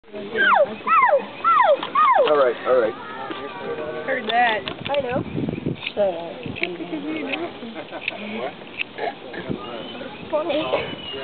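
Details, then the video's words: Baby elephant at the OKC Zoo squeaking: five quick, high, sweeping squeaks in the first three seconds that rise, then slide down, followed by softer wavering tones mixed with people talking nearby. "Elephant Squeaks"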